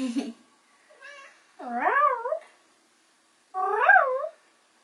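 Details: Bengal kittens, four young ones just past the toddling stage, playing together indoors; two drawn-out, wavering mews with rich harmonics, each about a second long, rising and falling in pitch, preceded by a short soft mew and a brief rustle.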